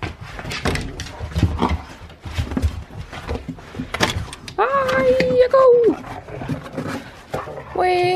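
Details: Siberian Husky let out into fresh snow in the morning for playtime. After a stretch of a person talking, one steady, drawn-out whining howl holds level for over a second, then drops. A brief higher yelp follows.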